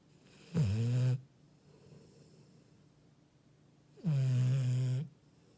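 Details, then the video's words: Two long, low, throaty snores from a sleeping Labrador Retriever, each swelling in about half a second and lasting near a second, separated by soft breathing. "리트리버 코골이"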